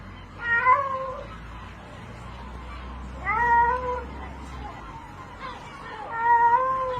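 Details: A cat in water, meowing for help during its rope rescue: three lower, plaintive meows about three seconds apart, each falling at the end, over a low background rumble and occasional shouting.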